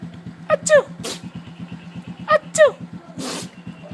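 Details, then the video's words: Sneezing from an excited neighbour's dog greeting a familiar person: two pairs of high, squeaky falling yelps each answered by a harsh noisy sneeze, over a running motor's rhythmic low hum. "Sneezing Dog"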